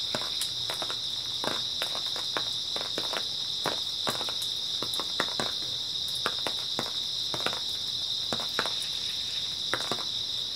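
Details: Grass insects keep up a continuous, piercing chirring chorus on an early autumn night while brisk footsteps crunch repeatedly over the top, several per second.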